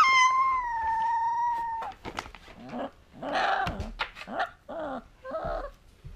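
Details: A 2-week-old female Alaskan Malamute puppy howls for the first time, a thin, steady howl, then breaks into squeaky whimpers and yelps.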